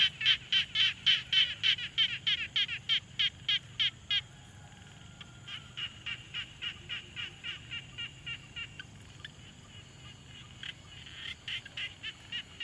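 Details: Frog calling at a quiet pond, captured on a Tascam Portacapture X6 field recorder: loud, raspy pulsed notes repeated about three times a second for four seconds, then a softer run of similar pulses continuing to the end.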